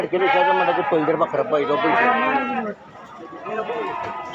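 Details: At the Atpadi goat and sheep market on Saturday, 15 July 2024, several sheep bleat together in a dense, overlapping chorus of quavering cries. The chorus fades into quieter bleating, with crowd murmur in the background.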